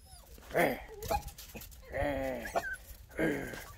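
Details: Miniature Pinscher puppies, 11 weeks old, playing in snow in February 2021: three short, harmonic whining yelps about every 1.3 seconds, with soft rustling and bumps between them.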